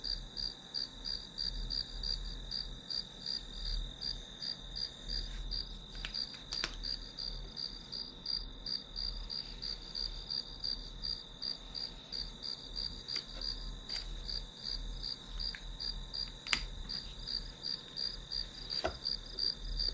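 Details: Steady pulsed chirping of grass insects, nearly three chirps a second over a continuous high tone, with occasional brief clicks and a low background hum.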